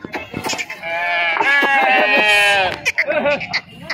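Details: Sheep bleating while being unloaded at a market in Pebbair (Pebbaru), Telangana, India; several overlapping wavering, nasal bleats, one long sustained cry in the middle, amid crowd noise.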